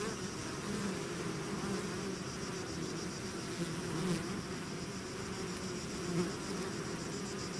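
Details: Constant drone of a bee swarm outside its hive, with brief louder buzzes as individual bees pass close by, over a steady bed of overlapping wingbeat hum.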